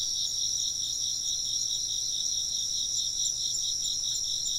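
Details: Chorus of chirping insects: steady, high, shrill trilling in several overlapping layers, with fast even pulsing in the lowest voice, continuous throughout with no pauses.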